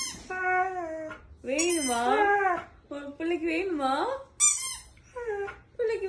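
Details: Male dog 'talking' indoors while a woman plays with a squeaky toy in front of him: drawn-out, wavering whines and howl-like yowls rising and falling in pitch, in several separate bursts, with toy squeaks.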